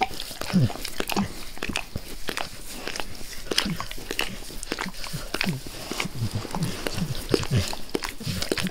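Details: Max the dog licking a face close up in a small indoor room, wet tongue smacks repeating briskly, punctuated by soft low nasal snorts and breaths.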